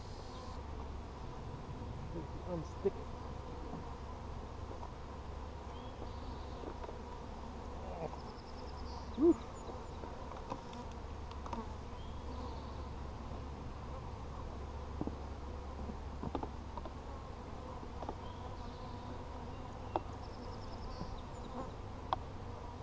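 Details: Honey bees humming inside an opened hive during a hive check on 17 July 2020; a steady low droning hum runs throughout, broken by sharp clicks and knocks from handling the frames.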